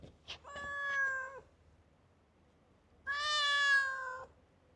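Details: Talkative stray cat met in a park in Japan, meowing: two drawn-out harmonic meows, the first about a second long, the second louder and slightly longer, separated by a quiet pause; faint low background hum.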